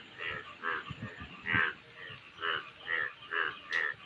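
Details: An Indian brown frog gives short, throaty croaks in a steady series, roughly two every second.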